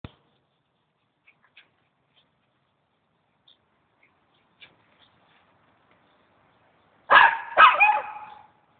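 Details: Dogs, a Norwich Terrier and a mongrel, running; near-silence with faint scattered taps, then two sharp, loud barks in quick succession, about half a second apart, near the end.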